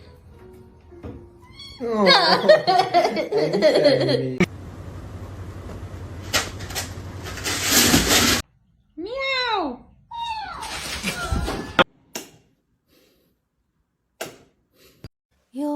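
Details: Playful house cat giving two clear, curved meows in close succession near the end, each sliding up and down in pitch, after a stretch of background music, talk and indoor noise.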